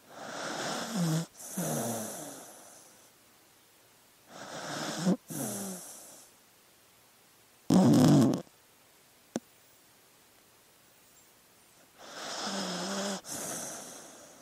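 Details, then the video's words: Snoring from a sleeping dog: long raspy breaths with a low rattle, a brief loud snort near the middle, then quiet before a final drawn-out snore. "Sleeping Dog Sounds"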